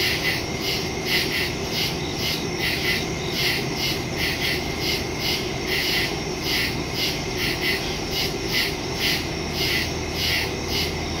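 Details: Crickets calling in the woods after dark, September 2, 2023, phone recording (Samsung Galaxy S22 Ultra, Shure MV88+ stereo microphone); overlapping high pulsed chirps form a dense, slightly uneven chorus above a soft low rumble.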